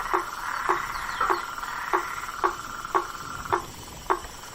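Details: At night in a marsh, a blacksmith tree frog gives hammer-like tonks about every half second, eight in all, with a faint buzzing chorus behind.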